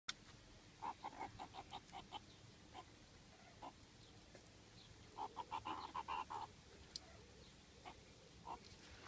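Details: Captive meerkats in hot weather, eating fruit ice lollies as a treat: rapid bursts of short, squeaky chirps, one cluster early and a denser run midway, with scattered single chirps between.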